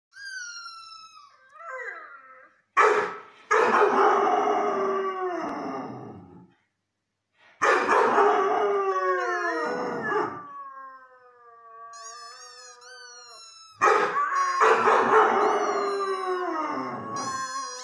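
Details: Irish Red and White Setter howling in drawn-out, wavering bouts of about three seconds each, sliding down in pitch with rough harmonic-rich starts, separated by quieter whining gaps; a thin high tone glides in the background.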